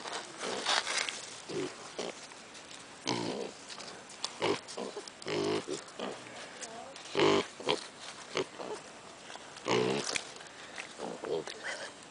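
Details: Zoo piglets grunting and oinking in short nasal bursts scattered through the recording, sometimes in quick pairs, with a few higher squeaky notes and light background rustling.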